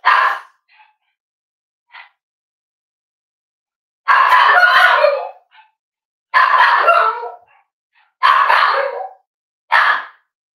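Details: Cavalier King Charles Spaniel indoors at Red Barn Cavaliers, kitchen livestream with puppies and adults; loud harsh barks about every two seconds, some drawn out, with short faint yips between.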